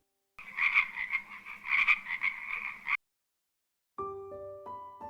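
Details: Frog giving a run of raspy, pulsing croaks for under three seconds, then silence followed by a few notes of soft music.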